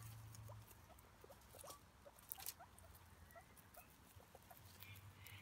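A guinea pig gives soft, quick squeaks and chuttering ticks over a low steady hum.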